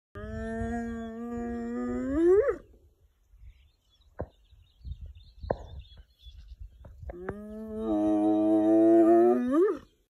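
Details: A lone spotted hyena in Thornybush Game Reserve, South Africa, in December 2022, gives its signature whooping call: two long, hollow whoops that hold a low tone, then swoop sharply upward.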